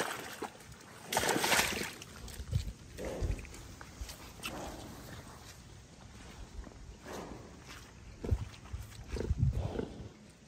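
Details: Rescue piglet named Anne Claire, a young female at an animal sanctuary in upstate New York, making short broadband grunts and snuffles in irregular bursts, with louder squeal-like notes near the start and end; rustling and handling noises throughout.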